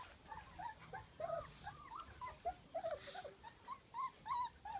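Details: Several three-week-old puppies exploring a garden at Easter 2019, giving repeated high whimpers and squeaky yelps, short rising and falling notes about every second and a half, overlapping one another, with a faint steady background hiss.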